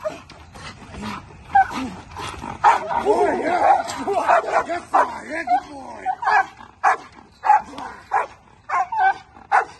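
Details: Bull Terrier in table work training. Evenly spaced sharp barks open and close the stretch, and a man's encouraging voice talks over the middle section.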